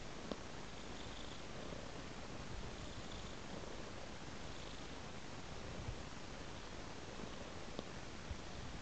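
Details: House cat on a soft blanket, purring in a low, steady rumble with gentle breath-paced swells and a few faint ticks in the quiet room.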